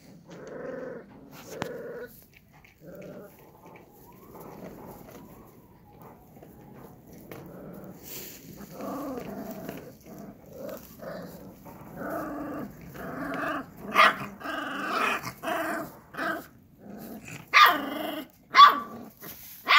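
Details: Akbash dog puppies, livestock guard dog breed, making a mix of low growling, whimpers and short yips, irregular at first then louder bursts of yapping toward the end.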